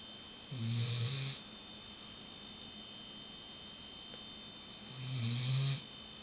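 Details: A female Weimaraner snores steadily during her afternoon nap with her head on a pillow, each breath a deep, rattling rumble lasting about a second, roughly four seconds apart, over a faint background hiss.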